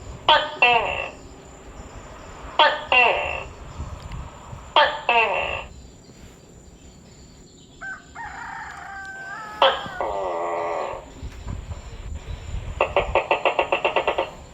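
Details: Tokay gecko in the forest of Seram giving paired harmonic two-note calls, each pair repeated about every two seconds, a steady tonal call in the middle and a fast dry rattling series near the end.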